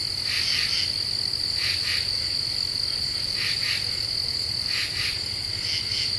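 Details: Night song of a common true katydid in Eastern U.S. deciduous woods in the Ozarks, July 2013: doubled scratchy pulses spaced roughly every one to two seconds over a constant high-pitched insect chorus.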